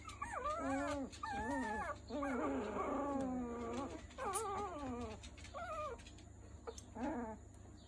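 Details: Three-week-old Miniature Schnauzer puppies whimper and squeal in a run of high, wavering, overlapping cries.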